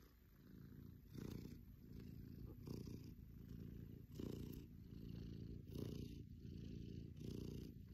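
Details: Male foster cat purring contentedly to his foster carer indoors; a deep, steady rumbling purr pulsing in slow breaths about every one and a half seconds, with soft hiss-like bursts on each breath.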